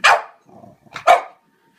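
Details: French Bulldog indoors, scared of a toy clown it seems to think is alive, giving two sharp, loud barks about a second apart, each followed by a short low grumble, with quiet gaps between.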